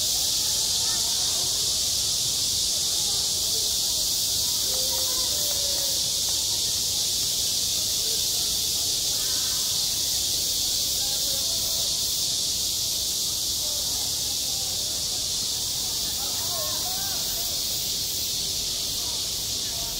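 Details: Cicadas singing in summer at a school playground: a dense, unbroken high-pitched hiss-like drone fills the whole recording, with faint murmuring voices and scattered wavering tones underneath.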